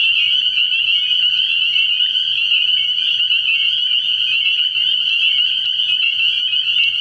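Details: Many spring peepers in a nighttime frog pond chorus early in the year: high, piercing peeps blend into an unbroken shrill trill, steady in loudness throughout, with no other clear sounds standing out.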